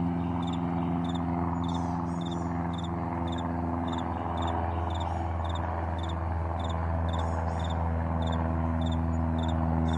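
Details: Crickets chirping in the morning on a vast meadow, short bright pulses repeated about three times a second over a steady low rumble, like a distant plane.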